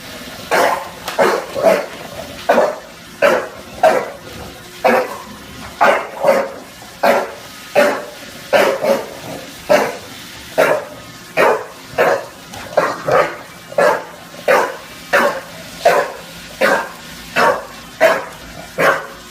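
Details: Junior, a bulldog in NYC, barks nonstop at a Roomba: a dense, slightly irregular volley of short, harsh barks, some closely doubled, lasting the whole stretch.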